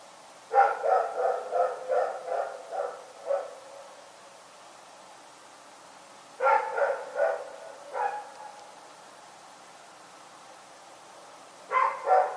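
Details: Rex, a dog barking in the night, lets out a rapid string of about eight barks, pauses, then gives further shorter bursts of barks, with silence between.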